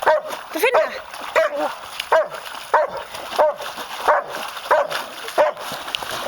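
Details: Pet German Shepherd searching frantically in a pond for a small rock he dropped; short high whining yips with rising-falling pitch, repeated roughly every 0.7 seconds, over steady background hiss and a person speaking Icelandic.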